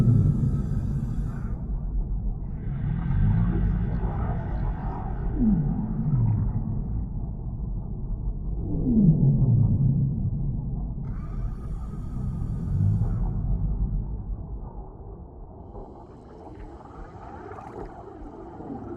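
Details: Whale. A whale sings in low, mournful moans, broken by brief swooping tones that slide downward. Throughout, a steady deep rumble fills the water, with faint hissing higher up.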